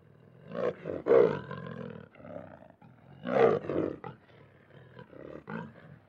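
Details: Lion giving two rough, harmonic roaring bursts about two seconds apart, each with a strong mid-pitched tone, followed by shorter grunting pulses and quieter breathy sounds.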